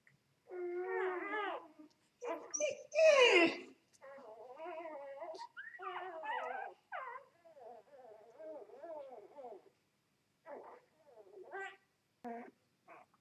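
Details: Newborn Vizsla x Labrador puppies, two days old, mother a Vizsla and father a Labrador, crying with wavering, high whines and squeals, one loud shrill yelp near the start, then softer broken whimpers trailing off in short bursts.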